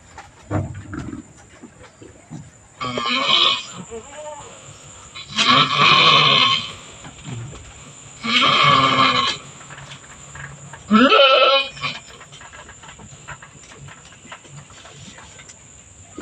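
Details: Domestic goat doe on a small goat farm, in labour and giving birth, giving hoarse, noisy bleats about every three seconds, then one clearer wavering, rising bleat near the end, with quiet background between calls.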